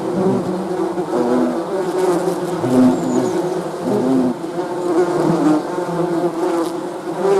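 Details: Continuous buzzing of honey bees, a thick low droning hum with individual tones rising and falling as bees pass close, steady throughout.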